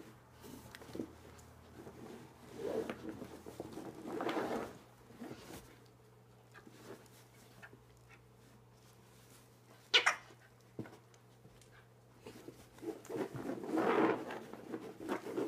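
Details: Kobi, an Alaskan Klee Kai dog, playing tug-of-war and winning the game; irregular rough growling bursts in the middle range with quiet gaps, one sharp short outburst partway through, then a longer rising stretch of growling at the end, in a small room.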